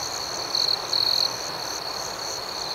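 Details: Crickets chirping at night outdoors: a continuous high trill with two louder chirping bursts in the first second and a half, then a steady, even hum.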